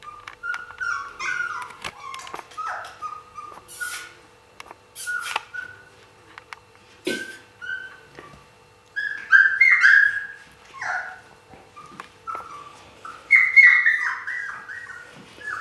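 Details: Whining Siberian Husky puppies from 2015: scattered short, high whimpers broken by clicks and rustling, then louder, rising squeals in two bursts near the end.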